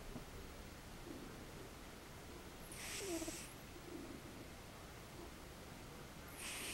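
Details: Snoring cat asleep, each breath a faint low murmur followed by a breathy hissing exhale, the second exhale beginning near the end.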